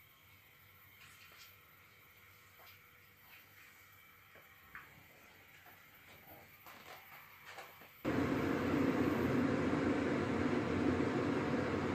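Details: Faint room tone carries scattered clicks, taps and knocks for several seconds. A much louder broad rushing noise then cuts in and holds steady, mechanical like a fan or a passing train, with no animal voice anywhere.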